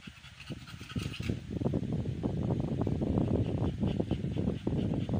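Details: Amber, an American Bully giving birth for the first time on the 56th day of pregnancy, pants rapidly and unevenly. A soft start leads into continuous, loud, breathy bursts of several breaths per second.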